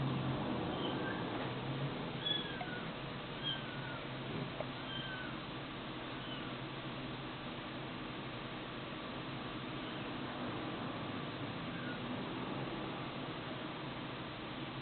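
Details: Kitten mewing: several thin, high, short mews with arching and falling pitch in the first five seconds, then fewer and fainter, all over a steady loud hiss of background noise.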